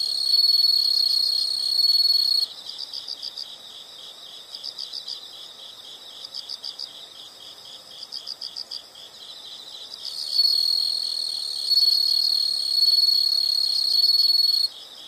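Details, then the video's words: Chorus of insects from a relaxing nature recording, a loud continuous shrill trill alternating with stretches of softer rapid chirp bursts, then the trill returning strongly over a constant high hum. "the sound of insects"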